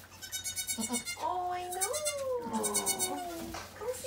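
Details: Domestic goat at Goats of Anarchy during Mama Maybel's birth of four healthy kids; rescued from an ex-breeder. A long, wavering, harmonic bleat rises, then slowly falls over about two seconds, with shorter cries and soft voices around it.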